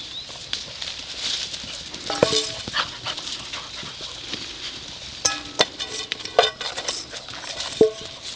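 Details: Eight-week-old Gordon Setter puppies from the Junior and Nika litter give short, high, squeaky yelps and whines in scattered bursts, several close together, over steady rustling and patter.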